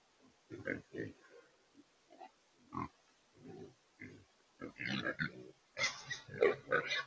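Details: Trapped wild pigs, also called feral hogs, in a remote control corral trap in Texas; short low grunts in irregular bursts, growing louder and denser toward the end with squeal-like upper tones.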